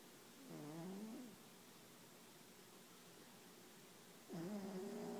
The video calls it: Snoring Bengal Cat